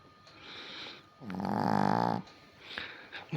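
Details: Pet Chihuahua snoring while asleep indoors: one low, rough, pulsing inhaled snore of about a second, with a steady buzzing vibration and a breathy snort near the start.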